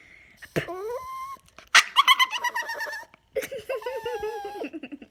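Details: Pet Yorkshire Terrier, annoyed by air blown into his face, making weird noises: high, wavering, whiny tonal cries, then a burst of rapid pulsed grumbling yelps, followed by more sliding, nasal whines indoors.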